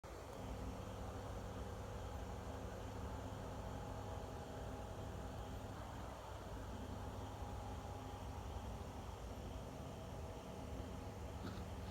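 Steady low engine rumble of a vehicle with faint background hum, no animal calls.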